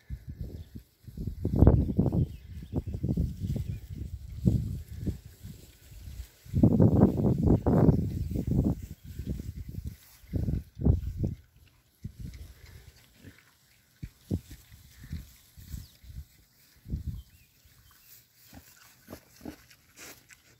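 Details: Low, throaty grunting from Berkshire pigs settling into a new paddock. Irregular clusters of short grunts come in louder bursts early and around the middle, then thin out into scattered, quieter grunts toward the end.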